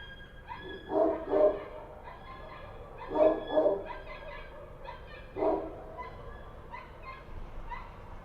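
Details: In Kabul at night, Kochi street dogs let out a few loud double barks spaced a couple of seconds apart, with fainter distant barking between them.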